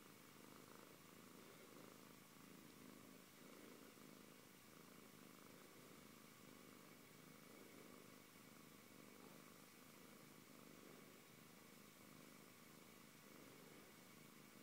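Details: Antey the Siberian cat purrs without pause, a low vibrating drone in regular breath-paced waves about every second, in a calm room.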